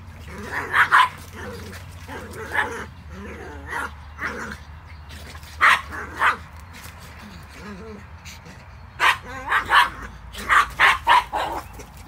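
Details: Pug barking to keep a Cairn terrier from entering the water, giving repeated yapping barks in clusters, densest near the start and in a rapid run toward the end, with human voices in the background.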